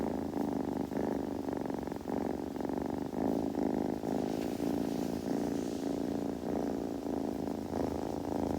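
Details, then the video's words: Kitten purring steadily indoors, with possible grooming sounds: a continuous low rumbling purr pulsing in even waves about once a second, with no other clear sounds. "子猫のASMR / グルグル音・毛づくろいの音など"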